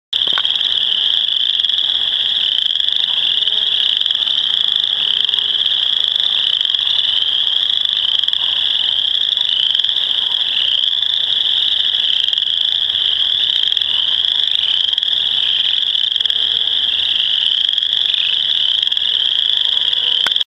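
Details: Two Western Chorus Frogs calling, a steady high buzzing trill that never lets up.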